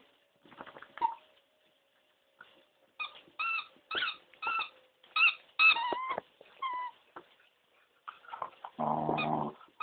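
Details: Corgi demanding a blackberry with a rough approach: quick bursts of pitched, yelping whines repeated in close succession, some sliding downward, ending in a longer rough, buzzy low growl; no other sounds stand out.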